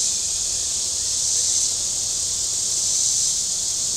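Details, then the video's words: On a hot Saturday at Table Rock Lake, southern Missouri, shoreline cicadas keep up an unbroken, hissing high-pitched buzz of nearly even loudness, with little else audible. "Boating Lake Sounds and Cicadas"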